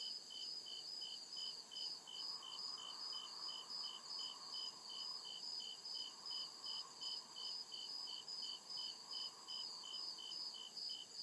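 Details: Forest crickets chirping at night: a dense, shrill chorus of rapid rhythmic pulses near two and a half per second, steady throughout, with a continuous high whine and a gentle mid-range hum in the background.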